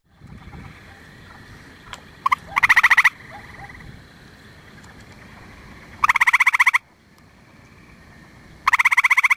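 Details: Gray treefrog, calling from up in a tree in late April to early May, gives short, musical pulsed trills, each lasting under a second, repeated every few seconds.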